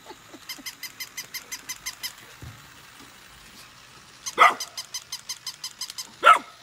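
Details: Nala and Scout, golden retriever siblings born August 2020, playing with their new puppy; a quiet stretch of fast ticking, then two strong, abrupt barks about two seconds apart near the end.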